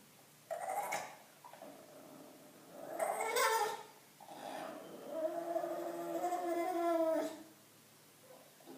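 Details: Bulldog making sounds because it wants attention: a series of low, nasal whines and groaning moans with drawn-out rising and falling tones, in bursts of one to two seconds separated by short pauses, indoors.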